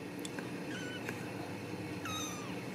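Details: Ragdoll cat from a central Kansas home cattery, kept inside a fence and wanting to go out: a faint short meow, then a clearer high, bending meow near the end, over steady background hiss.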